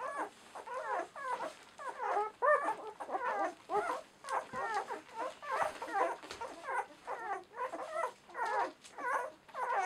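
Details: Several German Shorthaired Pointer puppies, ten days old, from the M litter of a Romanian kennel, crying indoors. Bursts of squeaky, wavering whines come nearly once a second, often overlapping, with short gaps between them.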